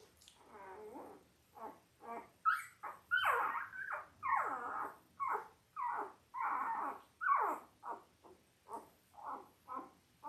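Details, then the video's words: Five-day-old Labrador Retriever puppies from Belle's litter of eight, born October 15, 2023, on a live puppy cam. Squeaky, whining cries come in a fast run of short bursts, several each second, some rising into louder squeals. "5 Day Old Labrador Puppies"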